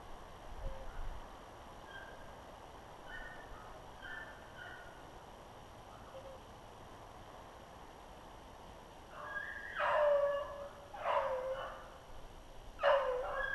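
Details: Hunting beagles on a snowshoe hare trail, February 25, 2016. After faint, far-off yelps, three louder, ringing bays burst out near the end, separated by short pauses.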